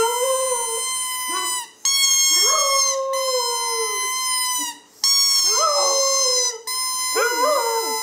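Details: Female dog howling in response to the squeak of a squeeze bowling-pin toy, recorded 23 January 2010; several long harmonic howls with rising onsets and wavering, quivering ends, broken by brief silences.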